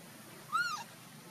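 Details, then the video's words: Baby monkey Luno calling his father Tum to come pick him up: one short clear squeal that arches up and falls away within half a second, with faint overtones above, over a quiet background. "baby monkey Luno trying call father Tum to pick him up"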